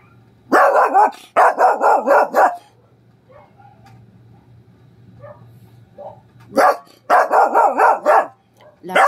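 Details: Dog barking in response to a neighbour's persistently barking dog: two loud bursts of about five sharp, rapid barks each, separated by a quiet pause with faint distant sounds and a low steady hum.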